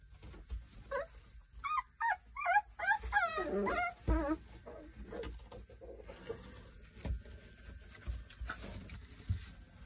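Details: Boerboel puppies three weeks old, from Kodak and Rhianna, let out a rapid string of high, wobbling whines and squeals that climb and fall, then settle into quieter scattered whimpers over shuffling noise.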